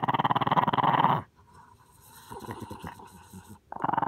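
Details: Little dog growls in a rapid, rattling rumble for just over a second, goes quiet with faint rustling and soft knocks, then starts growling again at the end.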